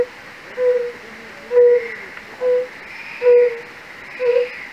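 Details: Fire-bellied toad, Bombina bombina, in a castle-park pool at Raduň near Opava, Czechia: five short, pure, low-pitched 'unk' notes, about one per second, over a faint background hiss.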